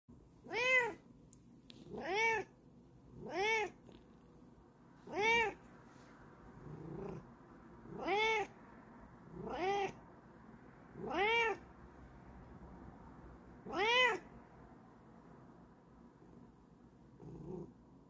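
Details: Bengal cat indoors, meowing as if giving a lecture: eight clear, harmonic meows, each rising then falling, spaced one to three seconds apart, with a fainter final one and quiet background.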